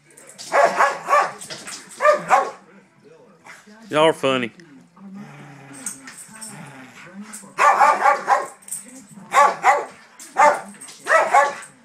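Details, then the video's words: Daisy, a pet dog eager to play, harasses her older sister dog. Doubled rough barks open and close the stretch, with a rising whine-like cry in the middle and human chatter between. "Dog Harasses Another Dog, Wants To Play"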